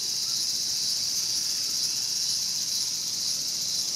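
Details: Cicada in Showa Kinen Park, Tokyo, in 2020, being eaten by a mantis; a steady, high, hissing buzz drones without a break, with only slight swells in loudness throughout.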